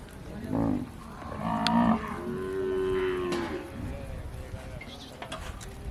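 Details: Kankrej cow from Rajasthan mooing; a short low call, then a longer harmonic-rich moo with a rising, sustained middle section lasting over a second, followed by quieter murmured sounds and faint background noise.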